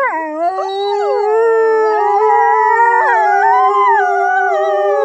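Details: Several Norwegian wolves howl together in long, drawn-out, overlapping tones that slide up and down.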